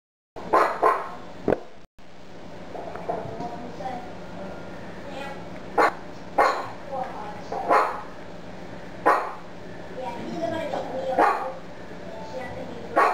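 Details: Affenpinscher acting as a watchdog, described as fierce and timid at the same time: short sharp barks in irregular bursts, several spaced a second or more apart, over a steady background hum with a person talking.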